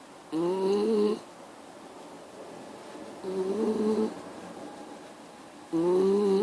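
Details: Miniature Schnauzer indoors, giving three tonal, nasal snore-like bursts, each under a second, with a slightly rising buzzy pitch and rich harmonics, spaced by quiet breathing gaps in a small, quiet room.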